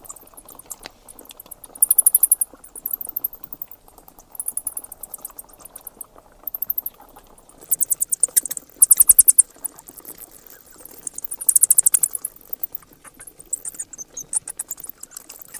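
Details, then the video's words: Sharp high chittering and clicking bursts from bats, repeated in short clusters every second or two, with a soft background hiss. "เสียงค้างคาว Bat sounds"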